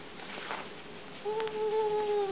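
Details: Frisky male house cat Vinny, mid-play with his owner in a small room, lets out a long, steady, level meow lasting about a second. Faint room noise is heard beforehand.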